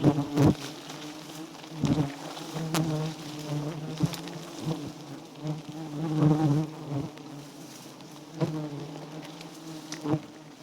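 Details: A steady low hum of wild giant honey bees at a small white-combed nest runs throughout, rising and falling gently, punctuated by scattered sharp cracks and knocks.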